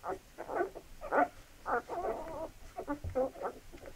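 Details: Labrador Retriever puppies at a feeding, drawn-out wavering whines mixed with short yelps, each lasting a fraction of a second, plus a soft low thud.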